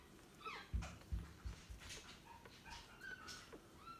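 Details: Newborn Staffordshire Bull Terrier puppies give short, high whimpers and squeaks with a few low thuds of movement underneath, calls overlapping and irregular.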